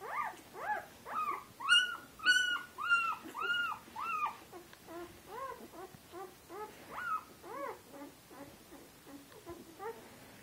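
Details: Litter of eight Turkmen Alabai puppies, born 8 February 2013, whimpering and whining in quick overlapping bursts, several pups calling at once with bright arched cries, loudest early, then softer repeated whines fading toward the end.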